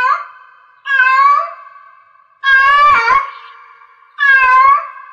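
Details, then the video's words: Cat in heat giving three long, wailing meows, each bending up and then down, spaced roughly one and a half seconds apart, with a ringing tail left behind each call. "Cat Meow Cat in Heats Sounds"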